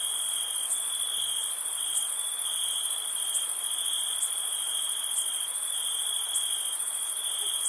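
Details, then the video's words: Summer night cricket chorus: unbroken shrill, ringing trill held at a steady pitch, with a higher shimmering band and small regular pulses throughout, nothing else audible. "Crickets Summer Night"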